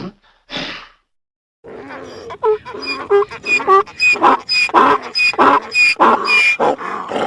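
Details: Donkey braying: after a brief burst and a short pause, a long run of rapid, harsh, wheezing pulses with a thin squealing edge, alternating hee-haw strokes growing louder toward the end.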